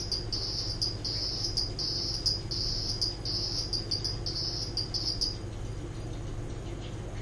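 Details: Captive hourglass toad (Leptophryne borbonica) from Indonesian lowland forest making its mating call: a high, rasping pulsed trill in short bursts roughly twice a second for about five seconds, then stopping, with a constant low background hum.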